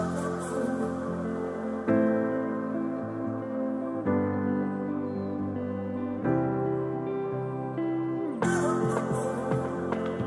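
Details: Gentle new-age music plays throughout, with layered sustained tones shifting to new chords roughly every two seconds. No animal voices can be picked out.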